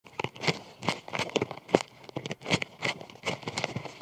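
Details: A gathering cluster of Japanese beetles (Popillia japonica), possibly mating, makes dry, irregular scratching and crackling rustles as their bodies jostle together.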